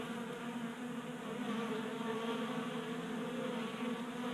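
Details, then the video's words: Honey bees feeding from a 3D-printed tray feeder in a garage in Colorado, kept active by January warmth. Thick, steady buzzing of many wings, a full harmonic hum without pause. "45 Minutes of Honey Bees Feasting from 3D Printed Bee Feeder ASMR"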